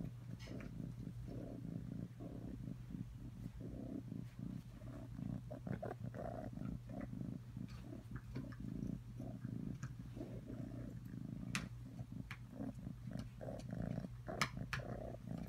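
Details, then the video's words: Atreyu, a cat, purrs in a long, unbroken low rumble, its texture rough and flickering, while frequent small clicks and tapping noises pepper the recording throughout. "Atreyu purring"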